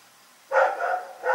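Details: At night the dog Rex lets out a strong, ringing bark with a drawn-out, slightly wavering tail, then starts another bark that is cut off at the end.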